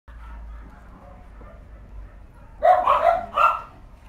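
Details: Female Cavalier King Charles Spaniel barking: quiet background for over two seconds, then three quick sharp barks in about one second, the last one slightly separated.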